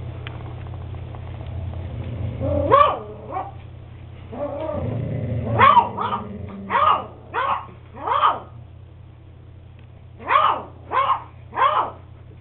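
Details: Max, an eight-week-old beagle puppy, yips in short bursts: a few pitched barks with a low growl between, then a steady run of sharp high barks, over a constant low hum.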